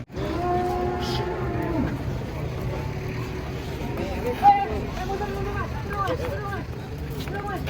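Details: Huge cow coming down off a truck. A single long, wavering moo opens the recording, falling away after about two seconds, followed by scattered voices and handling noise.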